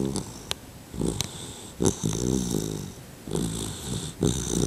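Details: Sleeping two-month-old male Labrador Retriever puppy snoring indoors, rough low rattling inhalations recurring about every one to two seconds, with a few sharp clicks and snuffles.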